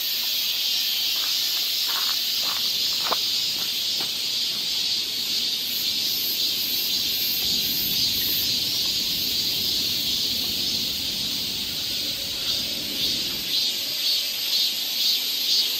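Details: Korean summer woodland near Seoul with cicadas: a loud, even, high-pitched buzzing wall of sound, a few footsteps early on, then a softly throbbing upper layer that grows steadier toward the end.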